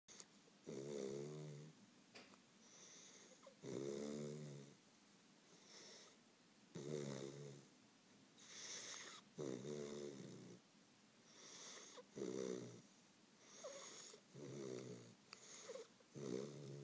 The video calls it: Hogan the weimaraner puppy snoring